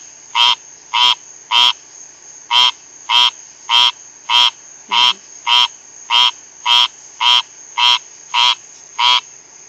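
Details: Rain frog; call; calling to other frogs nearby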